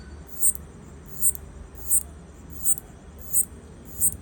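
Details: A locust clicking to communicate with its partner, captured with an iPhone: six crisp, high-pitched ticks at an even pace of about one every 0.7 seconds against a steady low rumble.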